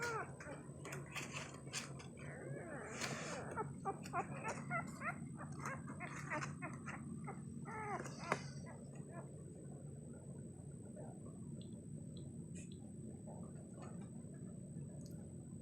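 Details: Labrador Retriever puppies less than 2 days old, sleeping and crawling, whimper and squeak in quick, irregular bursts over a steady low hum.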